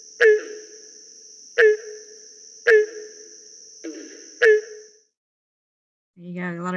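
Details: Five loud, resonant barking notes of a Barking Treefrog, spaced about a second apart, with softer background frog calls and a steady high whine. After a brief silence a man begins speaking at the end.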